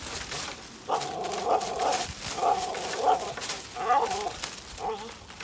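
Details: A Staffordshire Bull Terrier in the UK pulling on a tree gives strained, tonal whining growls in short bursts over rustling noise.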